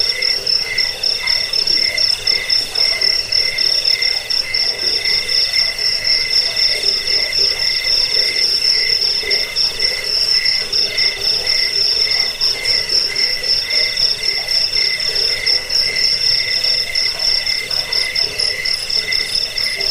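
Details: High ringing cricket chorus, intended to repel rats, help sleep and serve as a training sound for birds; relentless rapid pulsing trills holding an even, piercing tone for the whole stretch.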